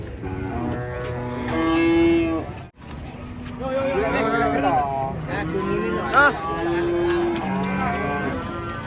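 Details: Giant, fierce cattle coming down from a truck. Long, steady low moos ring out for over two seconds, break off, then return as several drawn-out lowing calls overlapping wavering voices and background clatter.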